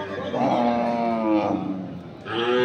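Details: Sahiwal bull calves at Ambari cattle market, Dinajpur, Bangladesh, 6 November 2023; a long, loud, low moo with rich harmonics, bending in pitch over about a second, then a second call starting near the end amid market noise.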